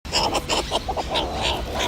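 Meerkats chatter in quick, squeaky chirps and clucks, overlapping in a busy burst.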